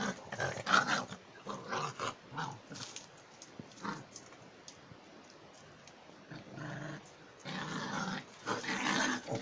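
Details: German Jagdterrier giving harsh, noisy growling bursts in irregular clusters: a loud run in the first three seconds, a quieter stretch in the middle, then a strong burst of rough growls near the end, indoors.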